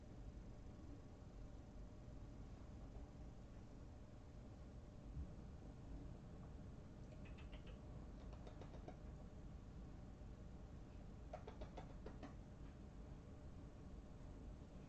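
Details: Three young kittens from a trailer-park colony snuggle on a person's lap, purring in a low, steady, unbroken rumble that fills the whole stretch, with scattered soft taps and rustles of handling.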